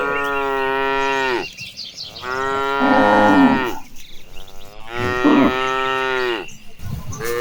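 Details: Tame cattle in a herd heading toward the pasture give long, drawn-out moos, three sustained rich calls with brief pauses between them.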